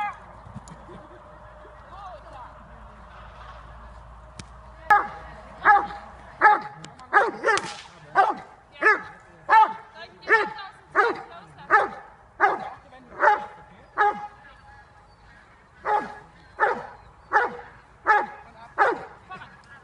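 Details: Dobermann named Jovanotti Unreachables, almost five years old, doing bite work training in October 2015; after a few quiet seconds, loud harsh barks come in a steady series, roughly one every three-quarters of a second, with faint background sounds.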